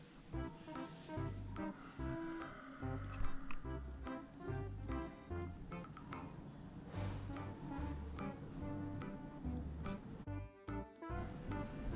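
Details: Quiet background music with a plucked melody and bass notes runs throughout, with no animal call.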